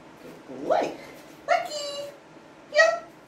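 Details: Labrador Retriever puppy giving three short, high whining yelps with rich harmonic tones. Each rises then falls, spaced about a second apart, in a quiet indoor setting.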